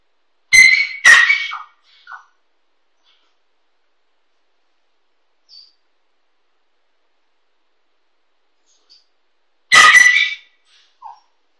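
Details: Female Kooikerhondje puppy, 15 weeks old, calling her owner after he left through the back door and out of the backyard: two sharp high-pitched barks at the start, a short yip, then one more bark after a long silence.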